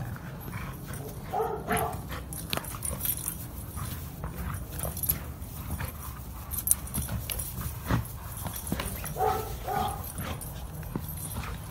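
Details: Garden play-fight between dogs: low continuous growling with two distinct bursts of higher, tonal yipping whines near the start and again toward the end.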